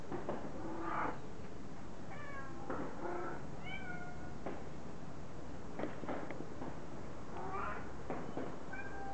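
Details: Cat meowing, several short rising and falling mews, some high and thin, some with a wavering tone, over steady background hiss with faint clicks and noises.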